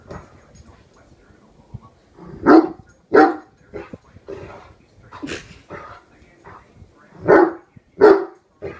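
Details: Horton, a one-year-old Great Dane, barks incessantly at a hairbrush he has suddenly decided is his enemy, guarding his family. Loud, deep barks come singly and in pairs, with quieter grumbling sounds between the bursts.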